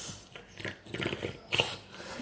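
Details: A four-month-old Boxer puppy grunts and snuffles in short, rough, pig-like bursts, with a sharper snort near the end.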